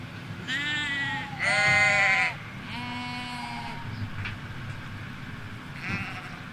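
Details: Ewes and lambs grazing in Hampshire countryside: a quick run of three bleats, the middle one loudest and harsh, then a quieter call near the end, against a low steady background hum.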